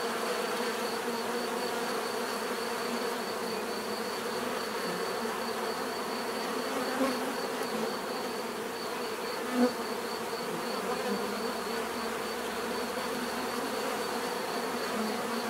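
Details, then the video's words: Steady natural drone of numerous bees, a layered buzzing hum with a faint high whine, a couple of individual bees passing closer and louder briefly in the second half. "bees therapy relaxing natural buzzing sound"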